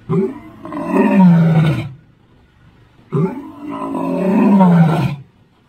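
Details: Old Jock, a male lion (Panthera leo) in the Sabi Sands, Kruger National Park, gives deep, rasping roars, each about two seconds long and falling in pitch, on 10 October 2023.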